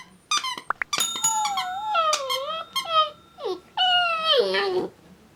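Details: Pet dogs howling and whining indoors: a series of high, wavering tonal cries with rich harmonics, some sliding downward, broken by short squeaky yelps and brief pauses.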